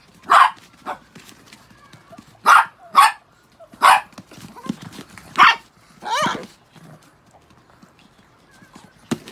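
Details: Freshly shampooed Chihuahuas, six house dogs, giving a string of high, clipped barks at irregular intervals, with one rising-falling whine in between and a quiet room behind.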